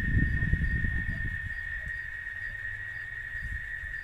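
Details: Chicharra, a cicada, heard in Oaxaca: one unbroken, even, shrill drone throughout, with low rumbling bursts strongest in the first second and a half.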